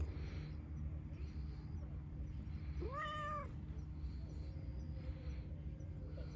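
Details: One clear, arched meow from an affectionate, chatty dilute calico cat midway through, followed by a faint drawn-out mew, with steady low rumbling noise throughout.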